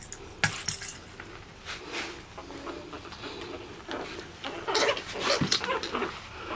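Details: Two Chihuahua puppies play fighting, giving short rough snarling growls and yips in irregular bursts, with a person speaking Spanish softly nearby.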